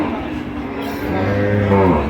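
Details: Cattle at the Ambari cattle market (haat) in Bangladesh on 29 September 2025, where cows and calves are traded; a low, drawn-out moo swells in the second half, with market chatter and background voices throughout.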